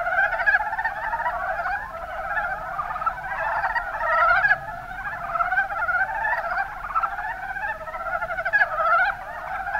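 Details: Chorus of Mountain brown frogs (Rana ornativentris) in Kumamoto's Kuma Basin, Japan: many rapid, clucking croaks overlap continuously, swelling in loud bursts every couple of seconds.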